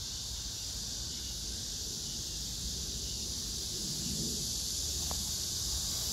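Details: Cicadas and grass insects singing on 9 August 2024 at Hwarang Park near the Gyeonggi Museum of Art, Gyeonggi-do: a constant bright hissing wall of sound, with a brief soft tone and a small click near the end.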